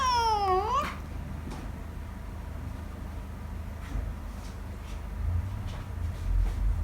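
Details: Indoor domestic pet cat giving a yawn: a single brief harmonic mew that slides down then curls upward, lasting under a second, followed by quiet room noise and faint low rumble.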